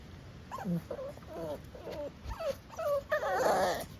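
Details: Blue Staffordshire Bull Terrier puppy with the hiccups: a run of short, soft squeaky whimpers and yips, several per second, with a louder, rougher whining burst near the end.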